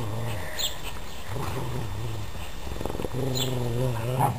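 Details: Pet dogs playing tug of war with a sock, several animals together. Low rumbling growls sound almost continuously, rising and falling in pulses, with a brief higher yelp near the start and muffled scuffling in between.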